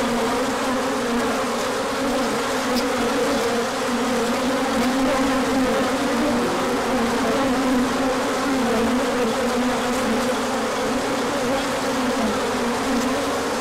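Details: Crowd of bees making a large orientation flight in spring sunshine after a colder spell, March 2024; long steady drone of massed wingbeats, pitch shimmering slightly as individuals pass.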